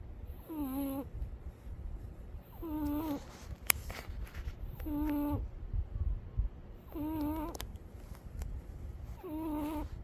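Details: Umi, a cat, snoring in sleep: wavering, squeaky tonal notes with layered overtones come on each breath about every two seconds, with faint clicks and a steady low hum behind.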